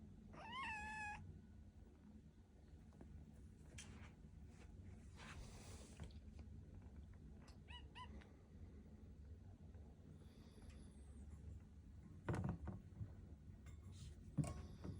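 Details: Rescued kitten just after waking in the morning gives a bright, wavering meow at the start, then a few short chirps later among rustling and handling noises in a quiet room.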